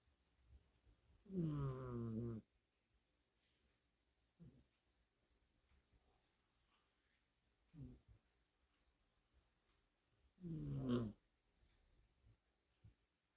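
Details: Scottish Fold cat asleep indoors, worn out after play, snoring: low, rasping, harmonic-rich breaths about every three seconds, the first and last loudest, with near silence between them.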